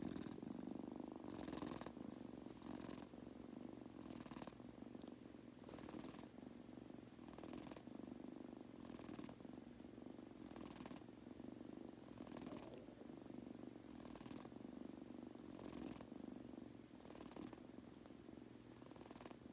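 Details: Munchkin kitten Goku, a household pet, settling into sleep with an unbroken deep purr; rhythmic breathy puffs recur about every second and a half over the continuous rumble.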